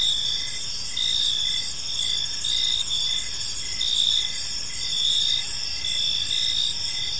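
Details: A chorus of crickets fills a peaceful park in the evening: bright, high chirps in regular bursts close to once per second, sitting above constant faint environmental noise.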